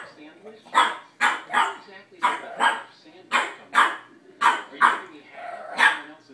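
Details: A young Boston terrier barks at a cat, giving bright, punchy barks about once a second, some in close doubles, with a person's speech running underneath.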